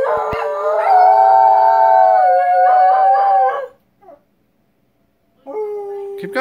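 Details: Howling Shetland Sheepdogs: a long, steady, mid-pitched howl with rich overtones, pulsing slightly near its end, held over three seconds, then a brief silence before another howl begins.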